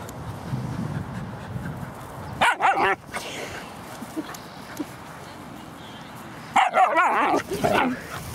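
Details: Dog aged 7 months playing with a 4-month-old Husky puppy at a dog park in Laguna Beach; two bursts of sharp, harsh barks and play growls, separated by quieter background chatter.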